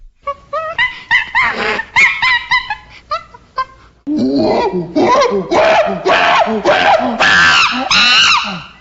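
A monkey gives loud, harsh screeching calls in rapid bursts, rising and falling in pitch.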